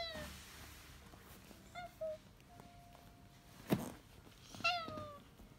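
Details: Domestic cat from a household of rescued cats in Japan, including one living with kidney failure for four years; short harmonic meows at about 1.8, 2.1 and 4.7 seconds, falling in pitch, with a sharp click and low indoor hum.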